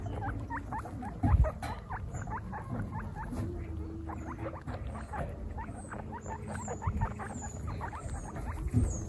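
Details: Baby guinea pigs on their first picnic, part of a herd of 26 females, keep up dense, rapid chatter of short squeaks and chirps from many animals at once. Faint high thin chirps sit above them, over a low rumbling background.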